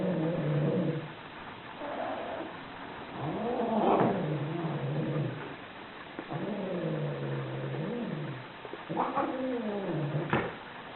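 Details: Angry cats giving rising and falling growling yowls, long and wavering, with hissing spits between the drawn-out moans.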